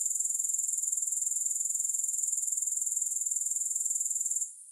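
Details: Steady, shrill insect buzz from grasshoppers, finely pulsed at a rapid even rate. It holds unbroken for over four seconds, then cuts off abruptly near the end.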